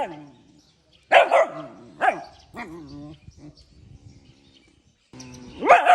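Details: Puppy in the morning giving several shrill barks spaced about a second apart, with low whining between them, ending in a rising drawn-out yelp.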